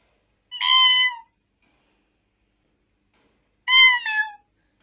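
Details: Kitten giving two clear, tonal meows about three seconds apart, each lasting under a second, bright with stacked harmonics and dipping slightly at the end; quiet room otherwise silent.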